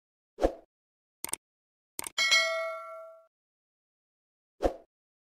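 Metallic clangs and a ringing ding that fades slowly, with no animal voice anywhere.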